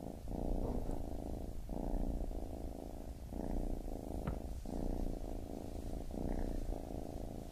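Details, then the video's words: Low, continuous purring from a baby kitten, the rumble broken by short gaps at each breath roughly every one and a half seconds, with a few faint soft clicks. "Baby Kitten Purring"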